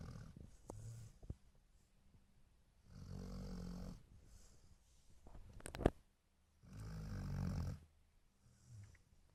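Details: A dog snores in its sleep in a small room. Slow, rough, low rumbling breaths last about a second each and return roughly every four seconds, with faint clicks and one sharp tap between them.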